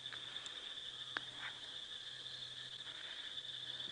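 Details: On a 9 PM night drive on 20 September 2016 at a South African game reserve, a deafening frog chorus, mostly rain frogs, gives a steady high ringing drone with scattered short chirps.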